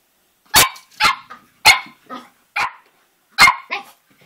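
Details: ['Cavalier King Charles Spaniel puppy about three and a half months old, playing with its reflection in a mirror; six sharp, high yapping barks, some followed by short softer yips, spaced irregularly about half a second to a second apart.']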